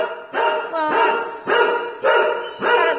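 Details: Female Podenco named Holly at the Valencia municipal dog pound, barking in five harmonic-rich, loud barks spaced about half a second apart, each with a sharp onset and short decay; no other clear sounds.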